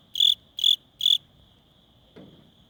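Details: Wing-rubbing cricket in chilly weather gives three quick, high, shrill chirps, then falls silent, followed by a faint soft thump.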